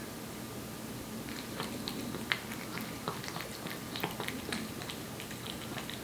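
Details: Aeppi, a one-year-old Korean Shorthair cat born in July 2018, eats wet food with quiet, soft smacking chews. After about a second of near silence come irregular, sharp clicking bites and lapping.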